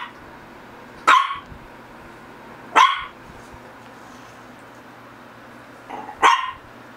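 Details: Three spaced barks from a Shih Tzu across seven seconds, sharp and mid-pitched, the last preceded by a soft short huff, against a low constant hum.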